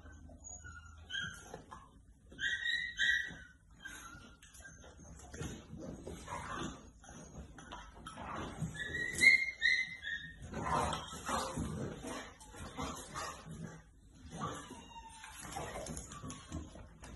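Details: Chongqing dogs, a mother, father and puppy, playing in a kitchen in the morning instead of eating breakfast: short high squealing whines near the start and again midway, amid scuffling, clattering and light thumps.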